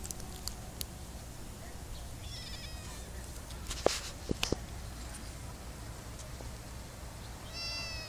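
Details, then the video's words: Cats of a colony in a summer olive garden: two faint, thin, rising meows, one midway and one at the end, set against constant low hum and a few sharp taps. "Feline extravaganza, lots of cats live in olive garden, asmr summer sounds"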